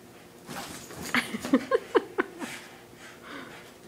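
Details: A Boston Terrier gives a run of short, choppy growls and snorts while playing tug-of-war with a rope, pulling hard and refusing to let go.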